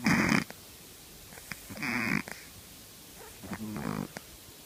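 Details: Shih Tzu puppy, three months old, snoring while asleep: three breathy, rasping snore bursts, each about half a second long, spaced roughly every 1.7 seconds, with quiet breathing between them.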